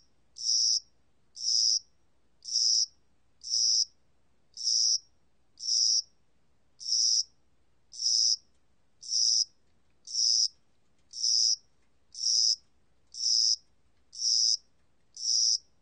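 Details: Spring-summer cricket from the National Institute of Biological Resources, Korea, singing in spring and summer: a long, very regular series of sixteen short, high-pitched buzzy chirps, about one per second, in an otherwise silent setting.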